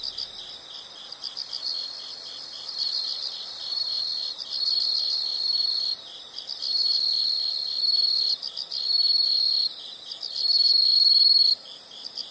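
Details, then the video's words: High-pitched insect calls layered as overlapping trills that swell and fade, broken by brief pauses, with a continuous pulsing chirp underneath. "the sound of insects"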